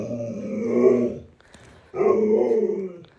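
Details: Two rumbling, growly vocal bursts from a pet Alaskan Malamute named Luoluo playing hide and seek with its owner, each about a second and a half long, separated by a short quiet gap.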